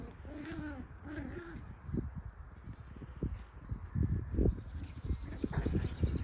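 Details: Cocker Spaniel puppies, 7 weeks old, give short, arching whimpers, followed by soft thumps and shuffling.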